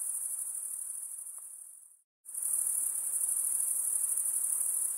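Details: Insects calling at night, a high, thin, pulsing shrill that fades, breaks off into a brief silence partway through, then returns at full strength and continues steadily.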